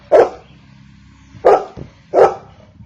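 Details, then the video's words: Three deep, forceful barks from a Golden Retriever, spaced under a second apart, with a soft low rumble between them. "Golden retriever barking - DOG BARKING"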